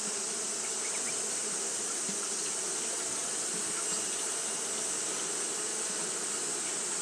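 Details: Japanese honey bees fanning throughout a hot day produce a seamless low buzz, with faint brief ticks over a persistent high-pitched hiss.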